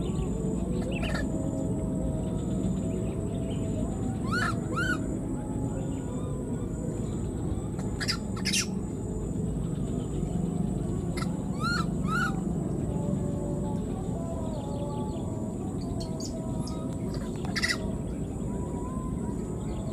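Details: A wild newborn baby monkey that was left behind gives thin, rising, harmonic cries in short bursts, calling for its mother.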